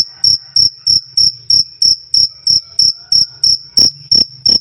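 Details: Loud, clear 'krik krik' chirping of crickets (jangkrik) used to train songbirds: evenly spaced shrill pulses roughly three per second, with a couple of slightly harsher, broader chirps near the end.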